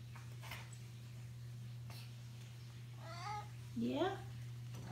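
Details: Pet cat Spirit, indoors and going crazy over catnip herb given in a satchel, gives two short rising meows near the end, the second louder and sliding upward, over a steady low electrical hum with a few faint clicks.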